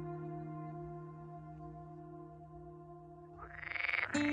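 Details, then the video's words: Singing male edible frogs croaking loudly in the heart of the marshes: a loud, rapidly pulsed, rattling croak that bursts out near the end, after a long sustained musical drone fills the opening seconds. "Écoutez ces bruyants coassements au cœur des marais. Ce sont des mâles chanteurs de grenouilles vertes comestibles."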